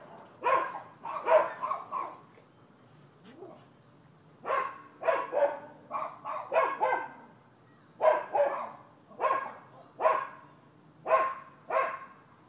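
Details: Barking from neighboring dogs recorded 12/7/15: bursts of sharp barks in clusters of two to four, separated by short pauses, loud against a near-silent backdrop.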